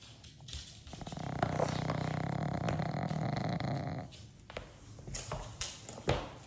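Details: A dog named Chloe snoring loudly indoors: a deep, rough, rattling snore with a steady low buzz lasting about three seconds, then softer breathy snorts and a few brief sharp noises.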